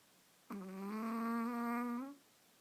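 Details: Snoring Chihuahua asleep in someone's arms for a midday nap: a single drawn-out, reedy, buzzing breath of about one and a half seconds, even and gently rising at its close, with a quiet indoor background.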